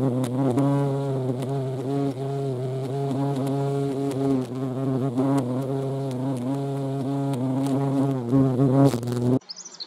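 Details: European hornet at a feeding site in the Eifel; continuous low wing drone with harmonics and slight pitch wobble for about nine seconds, ending abruptly in a short burst of other sound.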